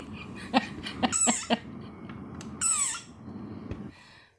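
A desert rain frog gives shrill, squeaky bursts, an angry defensive cry much like a squeezed dog toy.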